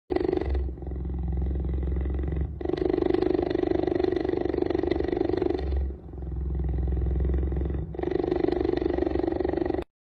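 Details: An angry Indian cheetah growls in a continuous rasping rumble that alternates between deep and harsher phases.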